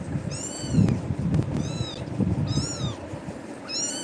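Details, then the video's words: Scared kitten crying out after a fright from another cat named tiger, climbing onto a person; four high, drawn-out arching meows spaced about a second apart, with low thumps and handling noise in between. "குட்டி பூனை🐈🐾❤️பயந்து கத்துது"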